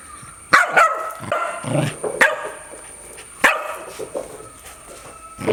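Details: Dog barking loudly: a few sharp, explosive barks spaced irregularly about a second or more apart, with brief rougher sounds between them and a faint steady high tone in the background.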